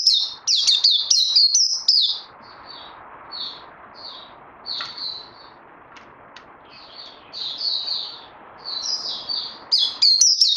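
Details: White-eye, called Puteh, in song training after Covid-19, 18 May 2020. Loud fast twittering at the start, then sparse soft high notes with pauses, building back to quick chattering phrases at the close.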